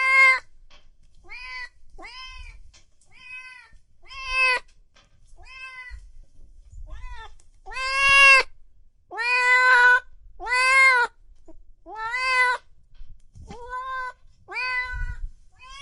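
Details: Kittens and cats meowing loudly, irregular meows of varying length and strength, some long and wailing, others short and clipped, with faint low rumbling noise underneath.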